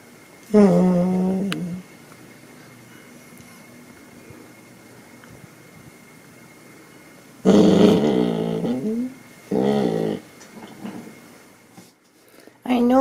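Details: Female blue merle Border Collie, one and a half years old, indoors, using her voice to beg for petting: three bouts of grumbling, moaning, talk-like vocalizations separated by a long quiet gap, with a faint steady hum throughout.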